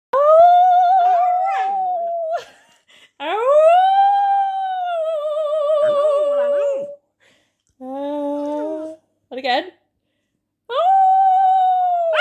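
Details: A Pomsky (husky mix) puppy howls along after its owner, giving long, high, wavering howls that rise at the start, with the owner's lower human howl joining in.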